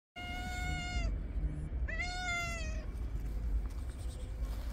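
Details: Very friendly stray calico cat giving two drawn-out, clear meows about a second apart, the second sliding up sharply then easing down, over a steady low rumble of outdoor background noise.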